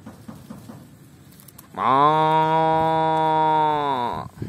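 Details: Tame cattle roaming and feeding in a rice field give one long, steady, low moo lasting about two and a half seconds, rich in harmonics and flat in pitch, ending abruptly; faint background rustling and murmur precede it.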